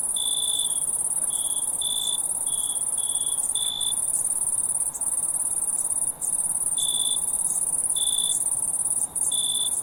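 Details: A run of quick high cricket chirps, then longer pauses between single chirps, all beneath an unbroken shrill insect trill on a night recording.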